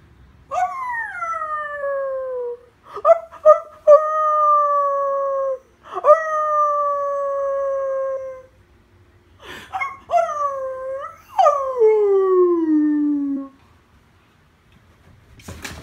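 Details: Irish Terrier howling back after a woman howls at it, giving long drawn-out tonal howls with rich harmonics, several held notes that slide downward, with short breaks and yelps between them.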